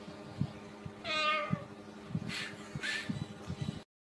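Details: Domestic cat from a funny cat compilation making one short, harmonic meow that slides downward, amid soft thumps, faint hiss-like bursts and quiet background sounds.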